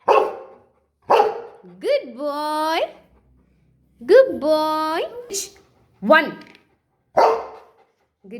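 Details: Golden Retriever learning to count, answering a person's spoken numbers with sharp barks and long rising howl-like yodels, the person praising between responses.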